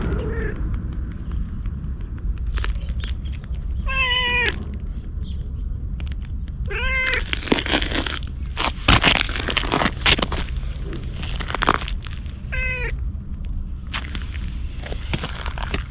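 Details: Stray ginger tabby cat approaching a man as if asking for protection, filmed on a GoPro HERO8: three clear, drawn-out meows spaced several seconds apart, over steady low rumble and bursts of rustling and crackling.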